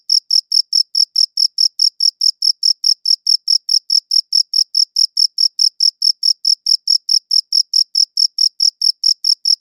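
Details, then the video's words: Crickets giving a rapid, metronome-like series of thin, high chirps, near four per second, cleanly recorded with no other sounds present. "Cricket Chirping Sounds"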